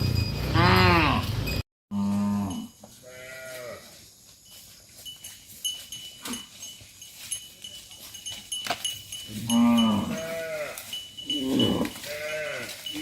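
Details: Tame cattle in a herd of dozens being driven back to the farm pen: loud drawn-out moos at the start, then a quieter stretch of clattering and shuffling, and several more arching moos near the end.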